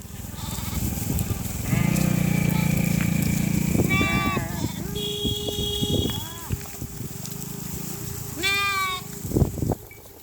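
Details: Sheep flock grazing in a dry river bed by a village: several quavering, harmonic bleats of differing pitch, some long and level, others short and rising, with low background rumble and human voices.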